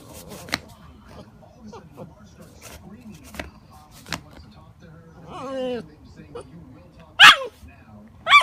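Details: Alaskan malamute puppy giving one drawn-out, slightly falling harmonic whine of about half a second, set among scattered sharp clicks and knocks, with a loud thump near the end and quiet room background.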